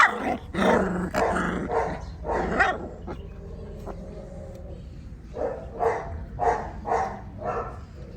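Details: Tibetan Mastiff puppies barking in uneven bursts, then a quiet stretch with a faint drawn-out whine, followed by five sharp barks about half a second apart. A low steady hum sits underneath.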